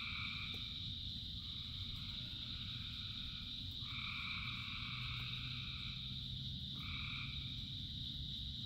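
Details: Frogs by the thousands singing through rainfall: steady high trilling with mid-pitched voices joining and stopping in bursts, set against a continuous deep wash of rain.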